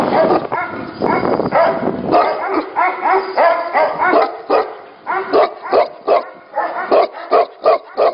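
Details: Tibetan Mastiffs at a Tibetan Mastiff 'factory': a dense, overlapping chorus of harmonic barks at first, thinning into separate loud barks roughly every half second, several dogs calling at once.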